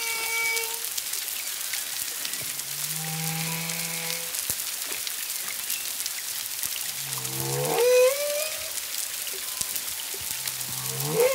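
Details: Humpback whales singing off Culebra, Puerto Rico, 25 February 2022, one to two miles away, a second whale present: steady hummed tones at varied pitches, then a low pulse bursting into a rising upsweep near the eighth second, crackling background.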